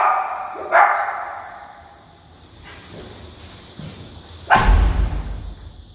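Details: Dogs barking indoors in a Suwon apartment in Mangpo-dong, set off by outside noise and footsteps; two loud sharp barks about four seconds apart over a steady background hum, a low thump after the second.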